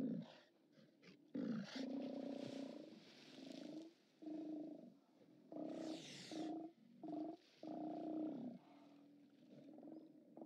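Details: Steller sea lions at their haulout on 29 October 2017, recorded by live cam: long drawn-out growling roars lasting up to a second and a half, mixed with shorter gruff barks and a brief splash-like hiss.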